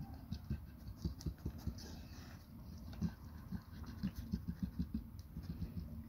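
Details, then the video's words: Labrador Retriever named Nona eating a huge grilled sandwich: low, moist chewing and smacking in uneven bursts, then a quicker run of steady chomps in the last few seconds, over a constant low rumble. "Labrador NONA eating huge grill sandvich"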